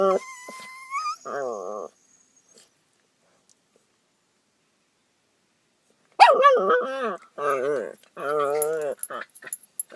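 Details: Two dogs producing odd morning vocalizations: a brief steady whistle-like tone, then wobbling, moaning whines and yowls in several bursts separated by a long silence.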